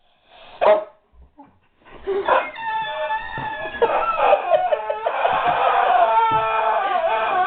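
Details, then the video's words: A guard dog whimpers over a squeaky toy it doesn't know what to make of: high, wavering tonal whines that build into a long, sustained, slightly quavering run of overlapping whimpers, after a brief sharp opening yelp. "Guard Dog Whimpers over Squeaky Toy"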